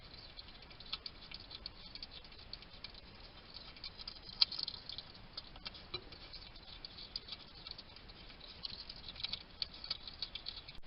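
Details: A male wild hedgehog eats in a Somerset garden in the UK, recorded by trail camera. Busy, crackly chewing clicks come in irregular runs, with a sharper snap near the middle, over faint steady hiss.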